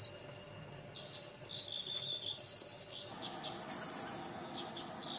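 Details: Insects of the wild keep up a sustained, high-pitched ringing drone, with scattered soft short chirps and a slight change in background midway.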